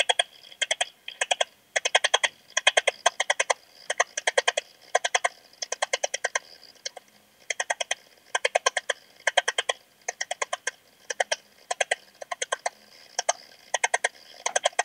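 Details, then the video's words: Eastern Stripe-headed Cricket in Puntigam, Austria, 10 June 2022, its song picked up through a Pettersson D 100 ultrasound detector: steady trains of harsh, buzzy pulse bursts in rapid clusters, repeating with brief gaps throughout. "Modicogryllus frontalis -- Östliche Grille -- Eastern Stripe-headed Cricket"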